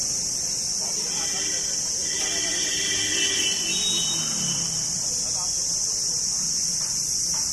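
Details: Crickets singing: a dense, steady, high-pitched shrill drone that holds without a break throughout, with brief faint voice-like tones rising mid-way.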